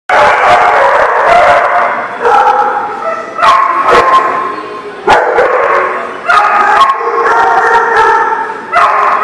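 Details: Several dogs bark loudly and repeatedly, with overlapping harsh barks and some higher yips and howl-like notes, nearly continuous across the clip with short gaps.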